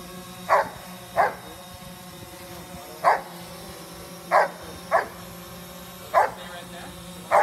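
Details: Female Giant Schnauzer chasing after a flying drone, giving loud, sharp barks in irregular succession roughly once a second, with a steady droning motor hum and a person speaking in the background.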